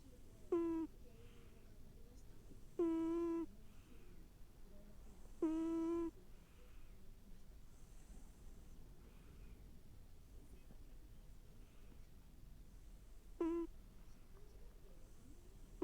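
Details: A pet cat snoring. Brief, wavering tonal bursts about half a second long come in a group of three, then a pause, then one more, over a quiet background.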